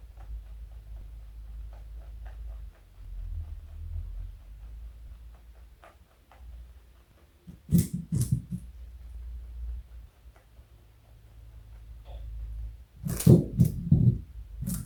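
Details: A pet bunny named Joey munching carrot indoors; two short bursts of dry crunching, one near the middle and a louder cluster of bites near the end, separated by long quiet stretches with low room hum.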